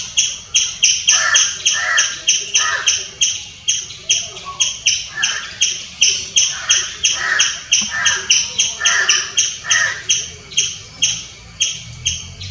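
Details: Squirrel giving a long run of loud chirping, crisp high notes repeated about three times per second, with scratchy lower calls threaded between them.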